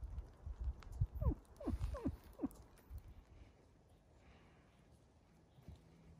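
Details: Wolves kept at the zoo in Järvsö, Sweden, living outside a hotel: a quick run of four or five sharp, falling yelps packed into about a second and a half, then fading into low background rumble.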